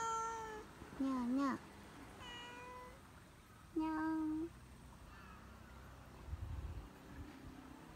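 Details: Cat encountered on a mountain walk; several meows, including a wavering mid-pitched one and a long flat lower one, spread over eight seconds, with a person's soft voice and rustling nearby.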